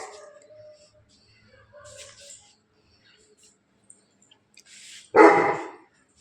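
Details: Bully Kutta dog in Bangalapudur giving one short, harsh bark after several seconds of quiet with faint scattered background noises.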